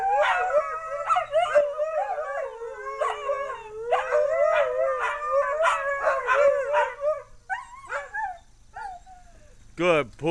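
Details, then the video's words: Group of dogs howling, August 2010: overlapping wavering howls with frequent yips for about seven seconds, fading into scattered yelps, with a person's voice entering at the end. "Dogs Howling"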